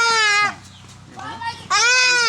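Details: Two strained, nasal bleats from a castrated goat with blocked urine flow caused by stones, with quiet human talk in the gap between the calls.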